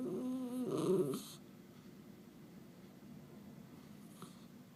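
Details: {'caption': 'Indoor Miniature Schnauzer producing a funny wavering, tonal moan that turns into a rougher grumble in the first second, then a quiet room with a brief click later.'}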